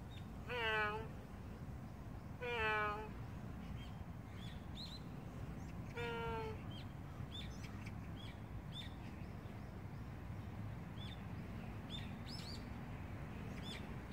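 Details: A large stray cat gives three drawn-out, harmonic-rich meows over about six seconds, each cry falling slightly at its end. Small birds chirp steadily in the background over a low outdoor rumble.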